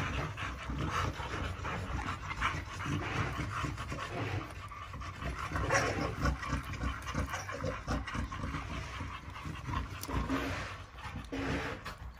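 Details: American Bully pocket dogs, a daughter of GR CH El Toro meeting a son of Rich Chigga on 4 June 2021; steady, breathy, rhythmic panting that runs through the whole stretch over a constant background hiss.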